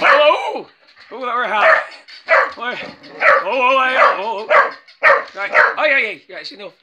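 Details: A female working English Cocker Spaniel gives a run of high, yelping barks with bending pitch at a battery-powered toy puppy, mixed with human speech.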